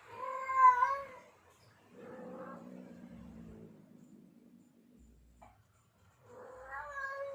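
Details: Tomcat in heat yowling to lure a female: drawn-out wavering moans at start and end, separated by a low throaty rumbling murmur, otherwise quiet.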